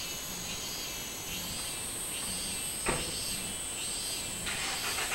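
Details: Minmin cicada recorded 24 July 2016, its buzzy call swelling in repeated arched pulses above a constant shrill insect drone, with one sharp knock midway and louder buzzing at the end.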